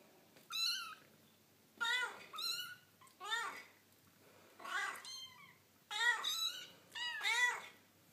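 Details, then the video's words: Foster kittens playing with their mother cat indoors, giving high harmonic meows with falling and arched pitch, about six calls in eight seconds, in irregular bursts. "Playful Kittens Making Cute Noises"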